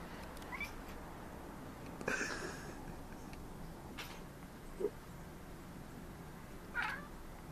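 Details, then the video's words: Three Maine Coons talking at city birds: scattered brief chirping and croaky calls, four separate bursts spaced roughly two seconds apart, with a quiet background hum between them. "Cute Maine Coons chattering at city birds"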